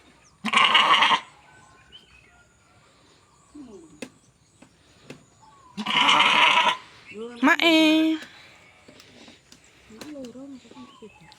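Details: Goats kept for sale by a cattle and goat trader in Mulyorejo, Java; two harsh, loud bleats several seconds apart, followed by a quavering, tonal bleat, with soft voices talking nearby.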